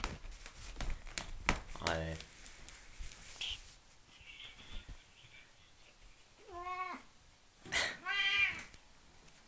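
A Siamese cat gives two drawn-out, rising-and-falling meows after some rustling and a brief human voice.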